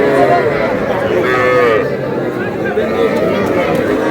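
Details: Calves at a crowded cattle market in Comilla, Bangladesh, where a farmer buys small young bull and heifer calves about three to three and a half months old; short mid-pitched moos recur several times over steady crowd chatter and bargaining voices.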